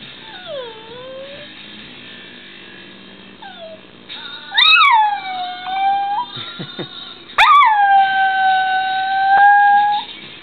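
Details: A female dog howls along to the song Conquest by The White Stripes on the radio, the only song she howls to, in long, wavering notes that swoop upward then hold steady.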